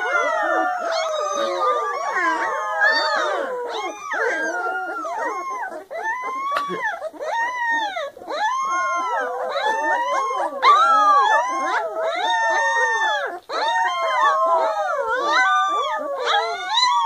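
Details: Puppy howling nonstop, wavering high howls that rise and fall and overlap one another in a dense chorus, with short yips and whimpers between the longer drawn-out notes and no clear break.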